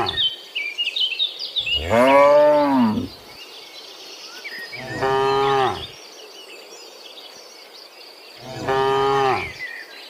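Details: Three deep, harmonic moos of about a second each, a few seconds apart, from tame cattle running through a forest, with busy high bird or insect chirping in the background.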